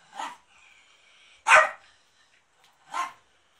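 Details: Pet dog barking at home while the house is being cleaned, March 2019; three short barks spaced over three seconds, the middle one loudest, with a faint whine-like tone between the first two.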